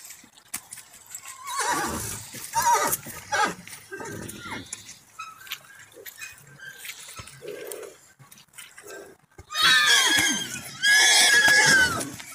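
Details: Mare named Vyuga meeting a stallion: human speech and scattered rustling, then two loud, harsh whinnies near the end, each about a second long with bright descending harmonics.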